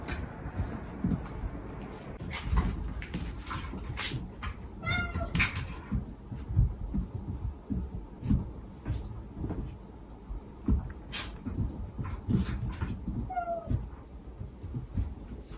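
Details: Stray cat family in Japan, a mother cat's gentle calls to her kittens and the sweet begging cries of her five kittens, recorded for kitten rescue; two short harmonic meows with a falling tail amid rustling, knocking background noise.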